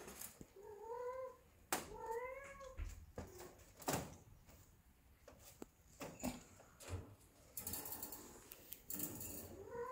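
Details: Ragdoll cats, a mother, a grandmother and kittens, acting funny together at home. Two clear rising-then-falling harmonic meows come close together early on, with another meow starting at the end. Soft bumps, clicks and rustling sound in between.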